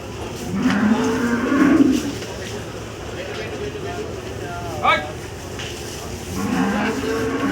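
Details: Cattle at Gabtoli cattle market in Dhaka, Bangladesh, 12 July 2024; a long, drawn-out moo, another moo near the end, and a brief sharp squeak between them over steady crowd murmur.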